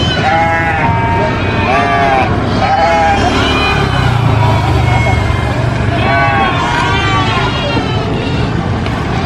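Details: Baby goat screaming: a run of loud, wavering, harmonic bleats that rise and fall, several in quick succession. A steady low engine rumble and voices run underneath throughout.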